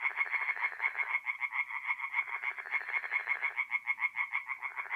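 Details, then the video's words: Several tree frogs calling together by night at a forest pond in north-eastern Italy in mid-April, a continuous, loud, rapidly pulsed croaking with overlapping voices swelling and easing. "relaxing forest pond by night with singing tree frogs"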